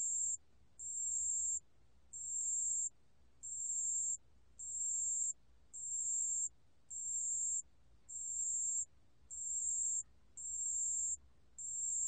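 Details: Pale bell cricket singing, recorded in 2020: clear, high, ringing pure-tone trills in even bursts of about 0.7 seconds, repeated roughly once a second with short silent gaps between, over a faint low hum.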